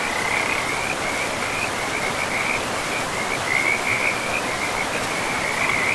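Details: In a pristine forest with moss-covered ground, frogs near a river keep up high, chattering trills, several bursts overlapping almost continuously, beneath which a rushing stream hisses steadily.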